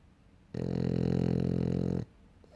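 A French Bulldog snores once, a low, rough, buzzing rumble lasting about a second and a half.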